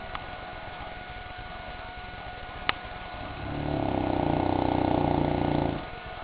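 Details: St. Bernard named Goliath asleep indoors, snoring in his favourite pastime: one long, rough, pulsing low snore swells up after a few seconds of steady background hum and fades after about two seconds, with a faint click earlier.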